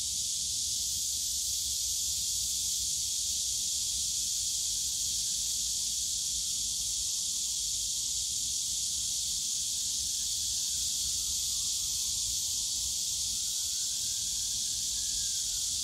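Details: Cicadas singing in Yongsan Family Park's bamboo forest on a summer day produce a constant, sizzling high drone without breaks. Faint brief whistled notes appear near the end, over distant low park rumble.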